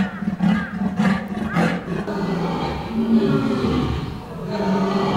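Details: Zoo animal roaring in deep, rough bursts, three strong surges in the first two seconds, then a steadier low rumbling growl continuing to the end.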